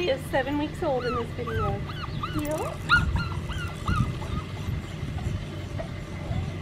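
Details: Seven-week-old red merle female Australian Shepherd puppy, nine pounds, scratching at an unfamiliar collar, gives a quick run of high, arching whimpers that rise and fall, several per second early on, over soft background music and low hum.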